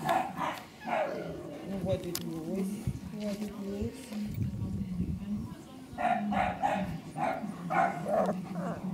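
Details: Whining Cane Corso puppies at five weeks old, 10 April 2011: thin wavering whimpers and yelps come in clusters at the start and again near the end, with soft German talking running underneath throughout.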